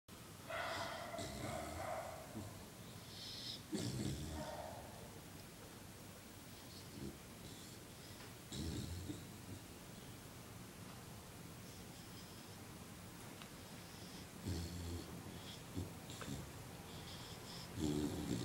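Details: Five-month-old Alaskan Malamute asleep and snoring: rough, breathy snorts come in slow bursts every three to four seconds over a steady hiss of room noise.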